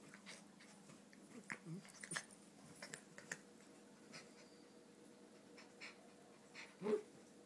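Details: Donut, a three-year-old red toy poodle, whines while playing her usual game: soft scattered whimpers, then a short, loud, tonal whine near the end over faint indoor background noise.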